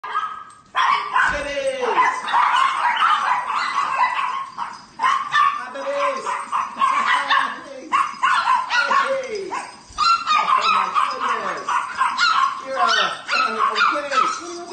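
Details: A swarm of Chihuahuas crowding over a person lying on the floor at a sanctuary: dense overlapping high yips, whines and short barks, with rising and falling whimpers throughout and a human voice mixed in.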